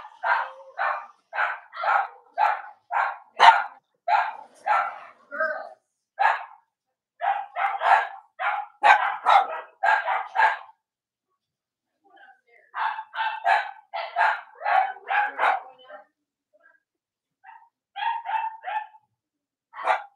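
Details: Cavalier King Charles Spaniels on a chilly Monday morning near Halloween, from a live stream of Robin and Myra's puppies in the US: a long, fast series of sharp yapping barks, about two to three per second, with short pauses between bursts.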